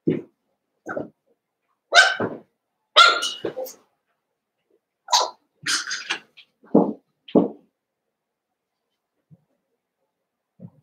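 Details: Playful Cavalier King Charles Spaniel puppies from two merged litters: short, sharp yaps and squeaky barks spaced about a second apart, several in quick pairs, fading to near silence near the end.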